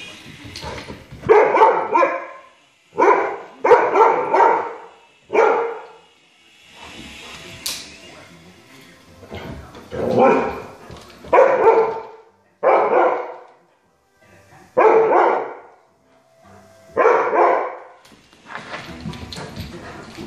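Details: A Siberian Husky puppy, scared by a helicopter flying overhead, gives bursts of wavering, talkative yowls and barks, one every second or two.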